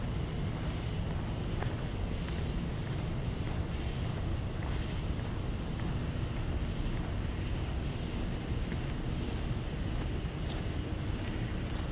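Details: Dense, steady low rumble like distant traffic or wind fills the whole recording, with a faint thin high line running throughout and no clear animal calls.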